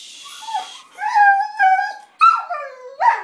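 A basenji mix sings in warbling, yodel-like tones that waver and slide in pitch.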